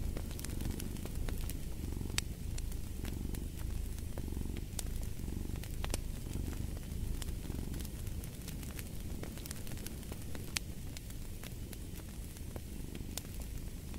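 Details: Deep cat purring, swelling roughly fifty times a minute with each breath, accompanied by irregular crackling and popping from a fireplace.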